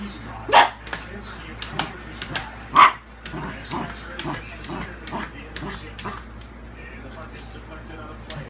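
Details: A Shiba Inu reacting to a vacuum cleaner gives two sharp, loud barks about two seconds apart, amid softer clatter, clicks and speech.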